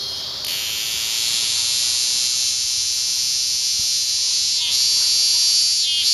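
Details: Cicadas at Lionsgate in early September 2009, so loud it was painful: a dense continuous high-pitched buzzing chorus that swells in loudness, with slight pulsing near the end and no other clear sounds.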